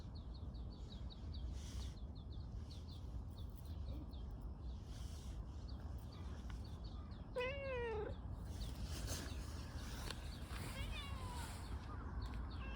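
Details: Stray tortoiseshell community cat in a park, rubbing against someone and seeking affection: one clear, drawn-out, wavering meow midway, a fainter meow after it, over steady rapid high chirping from birds or insects and low background rumble.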